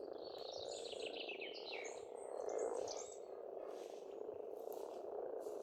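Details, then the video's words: Massed frogs croaking at a pond in Estonia during spring, a steady low purring drone that swells briefly midway, with bird chirps and twittering in the background. "Расслабляющее пение птиц и лягушек, весна, природа."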